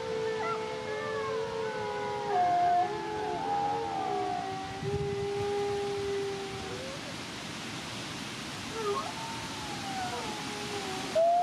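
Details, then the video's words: Alawa and Zephyr, captive-born Canadian/Rocky Mountain gray wolf siblings at the Wolf Conservation Center in South Salem, New York, howling a duet: long, smooth overlapping tones gliding and wavering, one voice dropping lower, against steady background hiss. "Beautiful Wolves Howl a Duet"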